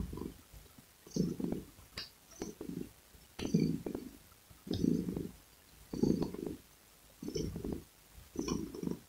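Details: Cat. A domestic cat purrs in a deep, throaty rumble. The sound pulses in rhythmic waves about once a second, rising on each breath and dipping briefly between them.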